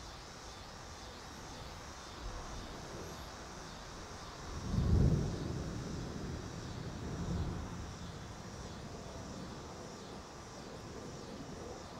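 Low outdoor rumble of distant traffic or an aircraft, swelling briefly, with no animal sound.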